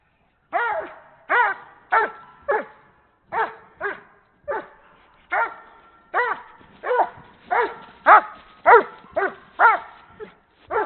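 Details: Doberman kept for breeding in Canada, barking while playing with a horse ball: a steady series of about seventeen sharp, ringing barks, roughly one every half second to second, growing louder toward the end.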